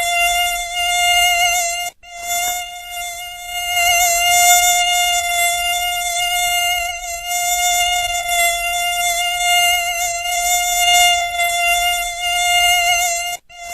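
A mosquito's steady, high, whining buzz drones on with only slight wavering in pitch.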